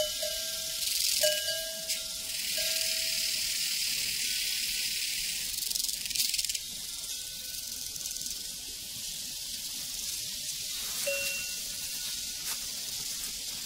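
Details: A steady, high cricket chorus pulses rapidly over a prairie. Cowbells clank repeatedly, and their ringing tones drift in and out above a faint low rumble.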